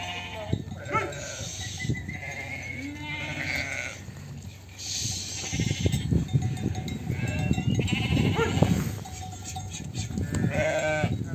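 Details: Many sheep and lambs bleat over one another at a sheep farm as lambs are separated from ewes, wavering harmonic cries rising and falling in a continuous chorus.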